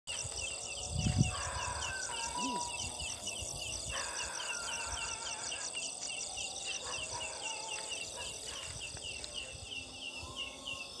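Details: Leaf katydid, known in Sunda as ciang ciang, calling at night from jackfruit trees; a steady train of short, high, ringing chirps about four per second, likened to a chick's 'ciak ciang', over a dense night insect chorus.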